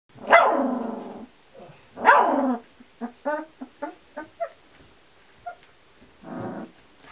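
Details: Kuvasz puppies, 18 days old, from the litter of Armani Niclas vom Crystal Diamonds and Arika Majna-menti Mákvirág, 2 July 2014: two long, loud, wavering whines, then a quick series of short high yips and a final muffled cry.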